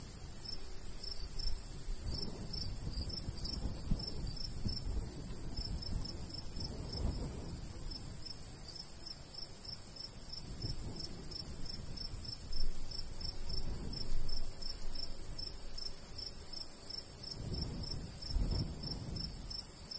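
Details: Crickets in golden summer wheat fields of the countryside, light breeze blowing: rapid, evenly pulsing high chirps run continuously throughout, while low gusts of wind swell and fade repeatedly.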